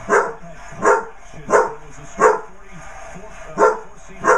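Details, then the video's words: Young Basset Hound barks at a birthday card showing a basset hound, giving quick clipped yaps about every two-thirds of a second, with one longer pause partway through. A faint steady hum sits underneath. "Basset hound puppy barks at birthday card."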